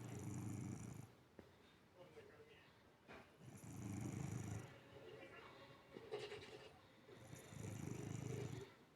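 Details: Domestic cat asleep with its eyes open, snoring: low, breathy rasping snores lasting about a second each, recurring roughly every three seconds, with a faint steady hum in the background.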